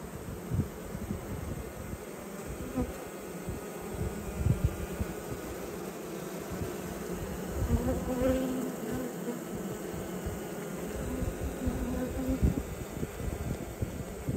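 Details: Honey bees at a hive during an autumn inspection of twelve colonies: a steady, dense droning hum with a rough, rumbling low-frequency texture, handling and wind-like noise underneath, and no voices.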